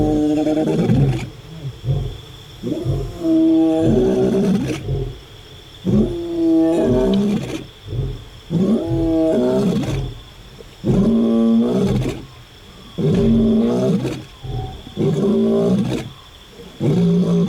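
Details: Lion of the African savanna roaring loudly: long, powerful bellowing calls with rich harmonics, several heavy roars spaced a second or two apart, interspersed with shorter grunts, and a constant faint high tone.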